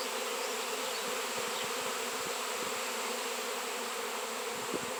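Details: Swarm of honey bees gathering around a raw 7 lb piece of shungite; a dense, unbroken buzzing hum fills the air, steady in loudness, with faint higher whines of single bees passing close.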